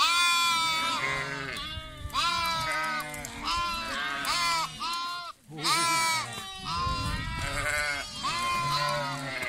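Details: Lambs bleating in a chorus: many overlapping, quavering, wavering bleats follow one another with hardly a pause, some rising then falling, with a brief gap near the middle.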